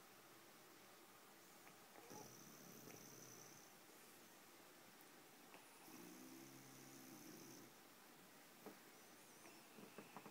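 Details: Sleeping bulldog named Bulka gives two drawn-out snores, each a breathy rasp under a thin whistling tone, the second deeper and rumbling. Soft clicks and sniffs sit between the breaths in a quiet room.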